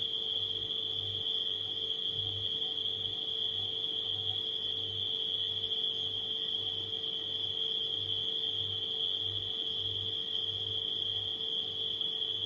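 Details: Crickets at night produce an even, piercing trill that never pauses, set against a refrigerator's low droning hum with a faint regular pulse.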